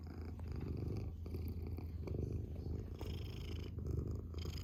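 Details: Domestic cat purring closely: deep buzzing rumble with quick pulsing texture, rising and falling gently in loudness over a few seconds.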